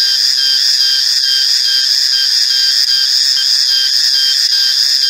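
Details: Cicada, known in Malay as reriang or riang-riang, giving a loud, shrill, unbroken drone of steady high tones with no pauses across the whole stretch.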